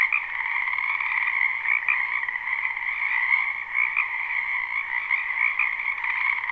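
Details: Frogs calling in a spring wetland beside a home, a live unlooped recording: a dense, continuous chorus of overlapping croaks in two steady bands, one mid-pitched and one higher, pulsing slightly throughout with no other sounds.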